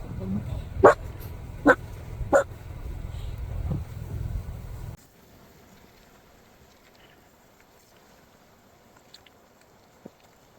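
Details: Seven-month-old female West Highland White Terrier puppy at a rural lakeside house in central Canada after rain, giving three sharp barks in the first few seconds over a low rumble, then near silence with faint ticks.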